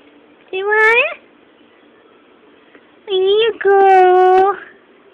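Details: Pet cat indoors asking for food, answering a person's coaxing. Three clear meows in a quiet room: a short rising one, then a brief upturned call and a longer, steady, drawn-out meow near the end.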